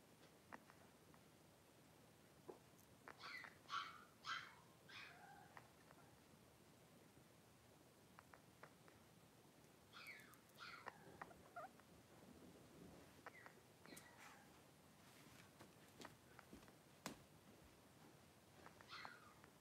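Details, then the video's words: A litter of five blenheim Cavalier King Charles Spaniel puppies, three weeks old, play-fighting indoors in their pen; clusters of high, yelping squeaks come in short bursts several seconds apart, with soft rustling and shuffling between them. "3-Week-Old Cavalier Puppies Wrestle and Play Live"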